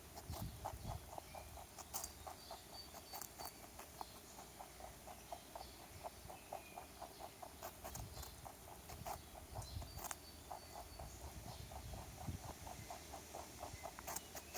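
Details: A rabbit visiting a backyard crunches a carrot in quick, steady bites, several crisp clicks every second.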